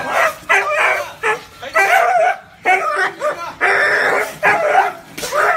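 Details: Dog barks, described as deep, warm and fearsome, in a dense run of short rough barks and yelps overlapping closely with little pause between them.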